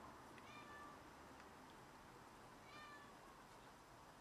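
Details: A domestic cat that has caught a rat and brought it to show off gives two short, faint meows about two seconds apart, indoors against a steady background hiss.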